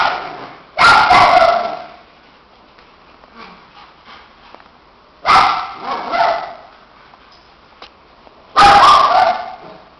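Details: Two shih tzus barking during boisterous play; three bursts of rough, doubled barks spaced several seconds apart, with quiet gaps and faint small sounds between them.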